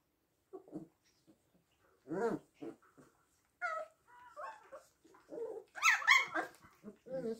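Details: Several six-week-old puppies playing indoors: loud sharp yips, squeaky rising whines and little growly barks tumble over one another in fast irregular bursts, louder and higher toward the end.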